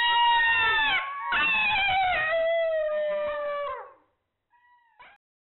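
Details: In Hungary, a golden jackal filmed on thermal camera howls in long, wavering notes that slowly fall in pitch.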